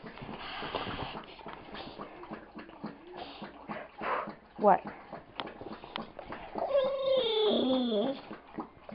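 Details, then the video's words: Bella, a pet dog in a household with Styx and Gypsy, makes whiny, wavering vocal noises with rising and falling harmonic tones near the end while biting Styx's ear, over a woman's affectionate talking. "Bella vocalizes and bites Styx's ear"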